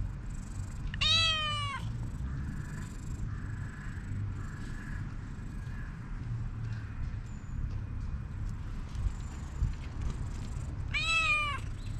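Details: Calico cat, a stray, calling out and drawing a black cat over; two clear harmonic meows about ten seconds apart, the first falling slightly, over steady low outdoor rumble and faint high chirps.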